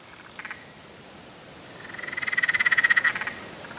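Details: Spotted grass frog call: a short triple click, then a rapid rattling train of evenly spaced pulses that grows louder over about a second and a half before stopping abruptly, with steady background hiss.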